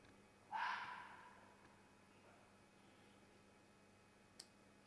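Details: Single hoarse, rasping scream from a fox in mating season, quickly fading, followed by quiet background hiss and one brief click near the end.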